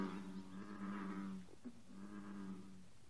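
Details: American bullfrogs calling on a 54-degree morning, green frogs also present: two long, low, droning harmonic calls separated by a brief gap holding a short twang.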